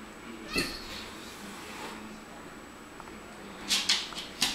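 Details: Two Siamese cats talk to each other: a brief, rich meow, followed later by several quick, breathy, high chirps.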